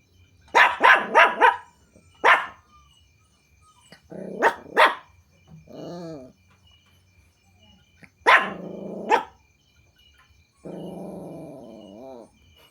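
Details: Puppies reacting to strangers and strange noises with clusters of high yapping barks, short grumbling whines between them, and a drawn-out wavering whimper at the end, with a thin insect buzz behind.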